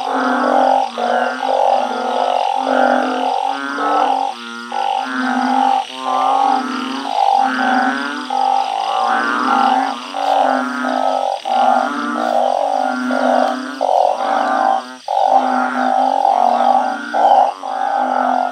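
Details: A night chorus of many truncate-snouted burrowing frogs kept in a backyard garden. Short hooting, droning calls overlap continuously in pulsing bursts, several animals answering one another without pause.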